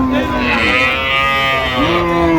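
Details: Cattle at the Ambari Hat livestock market in Dinajpur, where cows and calves are sold, 16 January 2026: one long, steady, nasal moo held for over two seconds, richly harmonic, with market chatter underneath.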